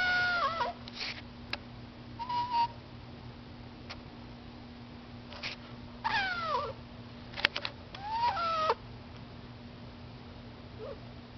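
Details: Pet cats asking to be let outside, giving a series of short falling meows, some in quick pairs, with scattered light taps and a constant low hum in a quiet room.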